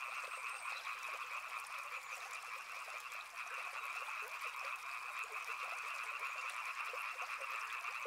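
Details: Frog chorus beside a river, with countless overlapping trilled croaks forming an unbroken, even wall of sound at two pitch levels and a faint background hiss.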